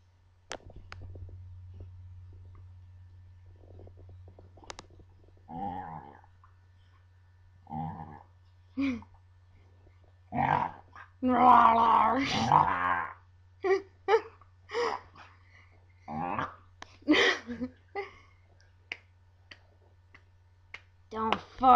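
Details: Duff, a Scottish Terrier, 'talking' in his odd way when provoked and teased by two brothers: grumbling, moaning vocal bursts of uneven length, some over a second long, coming in irregular runs, with human voices between and a steady low hum.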